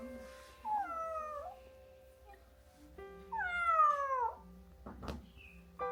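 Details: Kittens sick with pneumonia from the cold, left alone to rest after being abandoned in a field at 2 degrees Celsius: two drawn-out, falling meows about two seconds apart, each sliding downward at the end, over a steady background of soft music.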